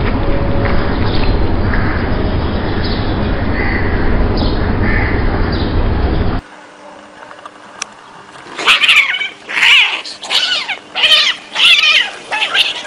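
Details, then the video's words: Alley cats fighting: after several seconds of loud, low rumbling noise, a run of harsh, wavering screeches and yowls rises and falls in quick bursts, about five cries over the last four seconds. "Deadly Cat Fights"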